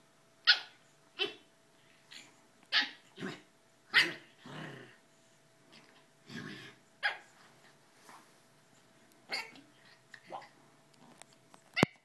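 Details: A pug playing gives short, sharp play barks mixed with gruff growls at irregular intervals.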